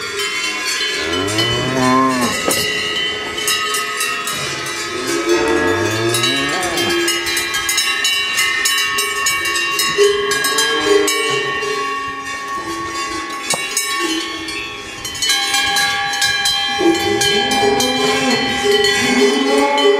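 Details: Salers cows on a breeding farm at Freyssac; deep, drawn-out moos that rise and fall, heard three times, under constant loud clanking of cowbells.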